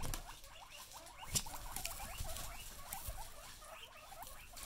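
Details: Excited female guinea pigs give a chorus of short upswept squeaks, fainter and densely overlapping, over a rustling background with one sharp click.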